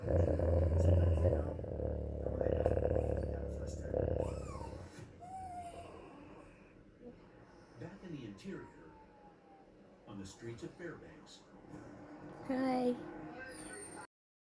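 A sleeping Rottweiler puppy rumbles with low snores and growls, then gives thin squeaky whimpers and muffled yips.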